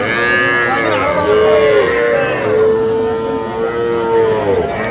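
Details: At a Pabna cattle market on 12/5/25, where farmers buy small bull and heifer calves, including Sahiwal bull calves, one sustained, level moo fills almost five seconds, with faint crowd talk behind it.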